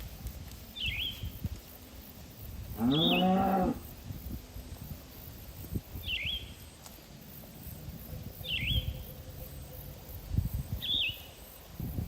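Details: Herd of cattle grazing on green pasture, one animal giving a loud, low moo lasting about a second, while a small bird repeats short high chirps roughly every two seconds through the recording.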